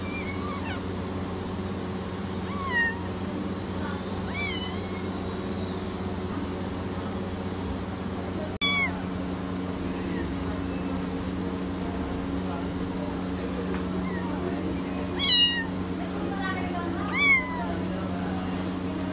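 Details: Persian kittens giving a few short, high, thin meows, rising then falling, spaced several seconds apart, with a steady low hum underneath throughout.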